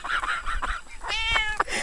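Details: Domestic cat from a compilation of funny kitten moments giving a drawn-out, harmonic meow that rises and falls, preceded by shorter broken cries over a continuous background hiss.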